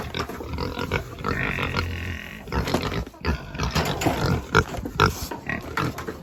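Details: Farm pigs calling during chores, loud overlapping grunts and squeals, rough and broadband, with a sustained squeal near the start and clattering noises throughout.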